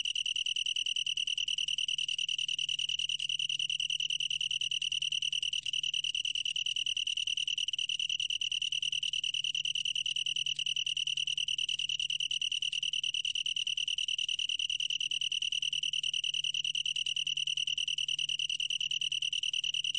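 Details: A long-tailed tree cricket, recorded in 2020, sings a steady, unbroken, high-pitched trill.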